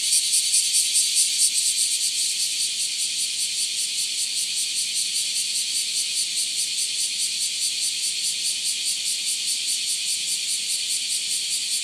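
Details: In summer in Japan, a dense cicada chorus fills the air with a high, shimmering buzz that pulses steadily.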